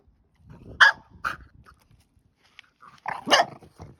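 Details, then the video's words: Female French Bulldog puppy playing with her new stick and getting carried away, giving a few short, sharp barks and grunts spaced apart, with quiet snuffling between them. "Frenchie vs. Stick! Sound On!!"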